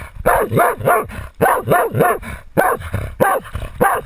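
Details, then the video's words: Jagdterrier named Otto baying a 250 lb boar, filmed on a GoPro worn by the dog: rhythmic, rough barks in tight bursts of three, about one bark per second, with brief pauses between bursts. "Insane jagdterrier Otto baying a 250 lb boar"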